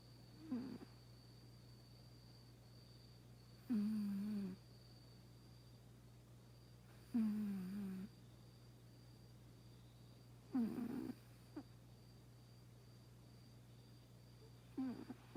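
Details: Snoring of a cat in its 22nd year at the family home, said to exceed 100 in human years: short droning snores roughly every three to four seconds, with a constant low hum in the room.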